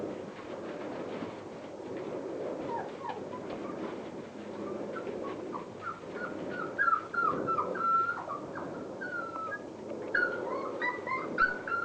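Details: Border Collie puppies from Clair's litter at Mafalda's kennel, 36 days old, playing; scattered thin whimpers and squeaks grow denser toward the end over a steady low background hum.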